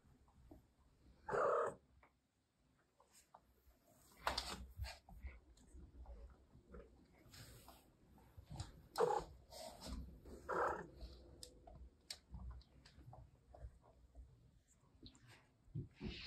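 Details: A grey female Russian Blue cat (Felis catus), after entering the room, gives a few drawn-out meows, calling her owner to follow her somewhere.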